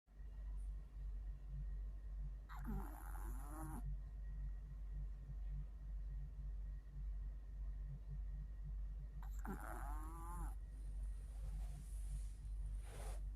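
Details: Mio, a tired pet Chihuahua, snoring while asleep: a steady low rumbling breath sound repeating about twice a second, with two short higher whining, squeaky sounds standing out near the third and tenth seconds.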